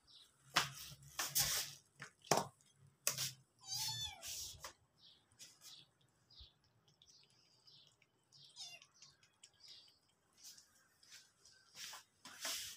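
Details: Hungry domestic cats and kittens heading toward the kitchen indoors. A short harmonic meow rises and falls near the four-second mark, with fainter calls later, amid frequent sharp clicks, thumps and other household noise.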